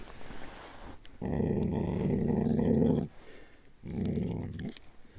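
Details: Eleven-month-old dog turning aggressive while guarding its meat: a low, rumbling growl held for about two seconds, a short pause, then a second shorter growl, indoors.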